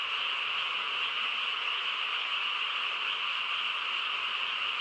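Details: A nighttime frog chorus in a calm rural setting, massed trilling voices blending into one constant, level drone throughout.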